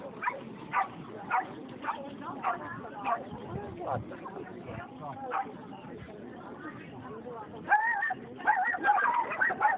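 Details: A male Chinese Crested Dog at the CACIB international dog show in Moletai, Lithuania, on 23 May 2014. Sharp barks repeat roughly every half second, then give way to human chatter and a few higher yips near the end.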